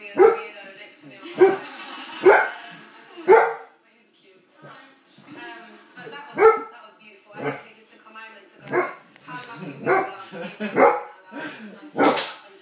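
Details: Irish red setter barking at a balloon, loud abrupt barks spaced about a second apart with a brief pause near the middle, then a run of quicker, softer barks and a final loud burst.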